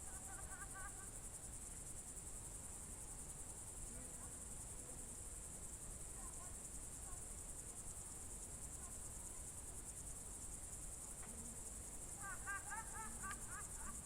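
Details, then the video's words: Crickets trill in a continuous high buzzing chorus on a June 2023 evening at the Novye Buregi tract, Novgorod Oblast, Russia, while birds add short twittering chirps near the start and a louder burst near the end. "Звуки природы , сверчки"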